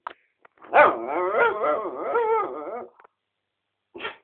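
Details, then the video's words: Indoors, a four-year-old mixed-breed dog lying under a chair makes an attention-seeking, playful noise: one long, warbling, yodel-like moan of about two seconds that wavers up and down, followed by a faint brief sound. "My dog Rocco making some funny noises"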